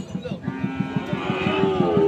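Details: Sahiwal bull calves fattened for sale at Ambari market, Parbatipur, Dinajpur, on 10 February 2025: a drawn-out, harmonic moo rising in strength over two seconds, with faint market chatter behind.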